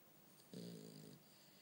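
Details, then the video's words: A sleeping French Bulldog named Bumble B lets out a single low, rattling snore lasting just over half a second in a quiet room. "Bumble B snore"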